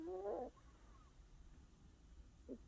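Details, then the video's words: Elderly 17-year-old female Maltese dog snoring: a half-second whistled nasal tone rising and wavering in pitch, a quiet pause with a low background hum, then a shorter, fainter breath sound near the end. "코골이 할머니 말티즈 17세"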